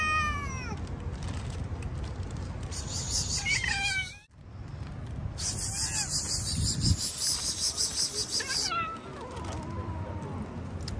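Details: Hungry cats outdoors being fed fish, meowing repeatedly: sharp descending meows at the start, more cries mid-clip, with bursts of hissing noise and a person talking nearby.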